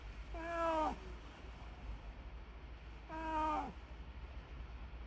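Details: Cat-like calls from a snow leopard kept at Maruyama Zoo: two short, falling harmonic mews about three seconds apart over a steady low background hum.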